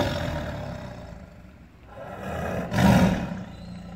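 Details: Captive tiger, caged and angry, giving a low rumbling growl that dips quiet midway, then bursts into a louder, harsher roar near the end.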